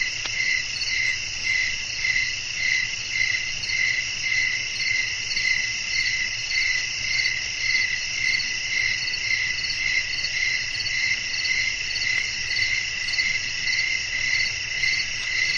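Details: Crickets chirping at night in a natural nighttime setting with blowing wind, made as a relaxing sleep soundscape; steady high-pitched pulsing trills about twice per second over a constant buzzing chorus, with faint low rumble beneath.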